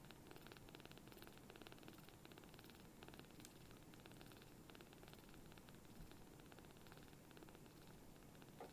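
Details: Hand-sized rescued kitten, one of a small group just taken in, purring with a big sound for its size while being affectionate; a steady, vibrating rhythmic purr throughout, recorded up close indoors.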